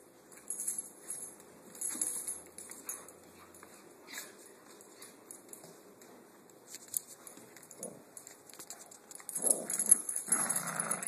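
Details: Korean Jindo dog playing tug of war with Little Fozzy, a small Dachshund and papillon mix; mostly quiet scuffling, then a rough, noisy burst of growling near the end amid rustling and thumps.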